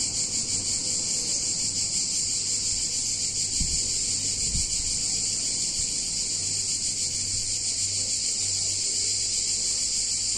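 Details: Cicadas in a picturesque Italian town on a hot summer day give a steady, piercing, pulsating buzz from start to finish, with two brief low knocks partway through and a soft low hum.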